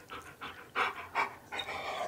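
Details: A pet husky panting indoors during heavy seasonal shedding, breathy rhythmic puffs in short bursts roughly every third of a second, with a brief click at the end.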